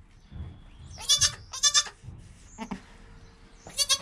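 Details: Newborn goat kid Joel, less than an hour old, with mother Penny; short clipped high bleats come in pairs, separated by soft shuffling and low thumps, ending with another quick pair of bleats.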